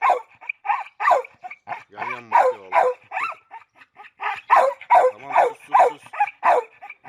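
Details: Red nose pit bull Oscar, brought together again with chocolate red nose Müdür for mating; short sharp barks repeat rapidly, about two or three per second, unevenly spaced, with a brief whiny harmonic yelp near the middle.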